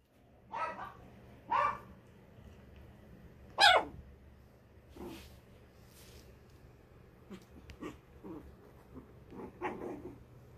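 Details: Three puppy sisters playing together on a bear-shaped cool bed, giving short yappy barks and yelps in scattered bursts, the loudest near the four-second mark, with soft rustling between them.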